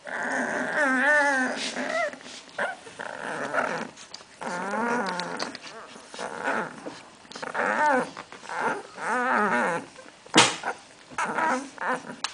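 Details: Two-week-old magyar vizsla pups from the de la Betoule kennel, sired by Csarko out of Diam's, born 8 May 2012, making a busy chorus of quavering little growls and whines, several voices overlapping, with one sharp thump midway.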